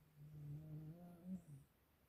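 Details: Siberian Husky snoring indoors: a low, droning buzz with stacked harmonic bands, one long rasping breath of about a second and a half that swells slightly near its end before fading into quiet room hiss.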